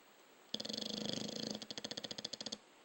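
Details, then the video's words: Single snore from a dog asleep, a buzzing, rapidly pulsing breath of about two seconds whose flutters become slower and more separated toward the end. "Snoring dog"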